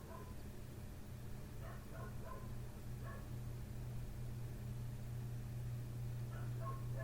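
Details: A neighbouring dog barks outside a window at night, still going strong around 3 am after starting at 1:30; two brief flurries of sharp barks, then a pause and another burst, beneath a persistent low hum.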